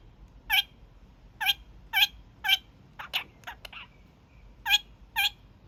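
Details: Evening honking by a young male pet kakariki, a daily habit: loud broadband nasal honks about twice a second, broken midway by a cluster of softer, quicker chattering notes before the honks resume.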